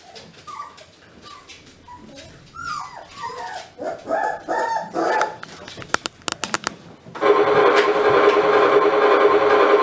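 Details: German Pinscher puppies of a B litter yapping and whining in short, rising then falling squeaky cries over about seven seconds, louder toward the middle, before loud music abruptly takes over for the final seconds.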